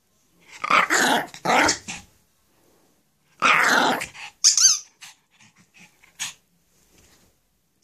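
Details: Shih Tzu playing with its ball: several rough, breathy growl-like bursts of about a second each, then short squeaky snorts and squeaks with silent gaps.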